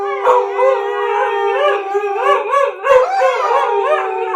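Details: Howling by a German Shepherd with two huskies chiming in after it started; one long level tone runs throughout while other voices loop in quick rising-and-falling waves, broken by short sharp yips.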